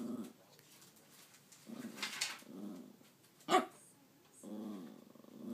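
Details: Pet dog indoors growling as though talking, trying to tell its owner something; several short low growling phrases with wavering pitch, one sharp bark-like burst midway, quiet room between.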